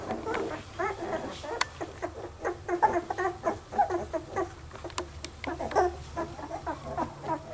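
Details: Litter of dark red standard Poodle puppies giving short, repeated squeaky whimpers, several per second in uneven clusters, with a low background hum throughout.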